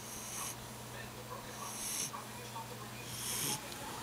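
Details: Buddy, a sleeping puppy, breathing in soft, airy, wheezy snores roughly every one and a half seconds over a low steady indoor hum.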